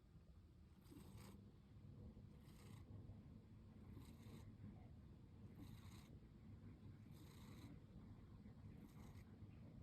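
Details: Year-old female pet cat asleep with her eyes slightly open, snoring softly: quiet breathy bursts recur about every one and a half seconds over a steady low rumble.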